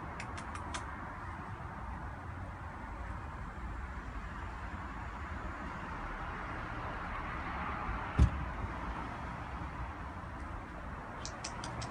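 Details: Low broadband rumbling noise runs throughout, broken by a single sharp knock near the middle and a few faint ticks, with no animal sound present.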